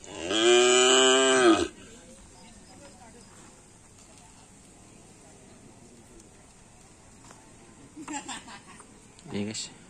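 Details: Bull from an Indonesian karapan sapi team training one afternoon at Asemanis field: a strong, bright moo of roughly a second and a half opens the recording, then near silence with a couple of brief faint noises later.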